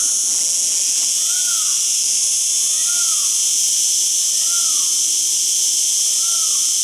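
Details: Singing cicada producing an unbroken shrill drone, with faint lower down-slurred whistles repeating roughly every one and a half seconds underneath.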